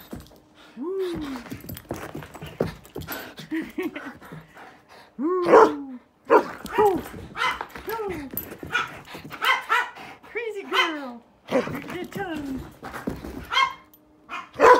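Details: Dog named GreyCee having the zoomies indoors in a small room, giving repeated short arched barks and whiny yelps in bursts, loud peaks near six and fourteen seconds, with a faint steady hum and some thumps.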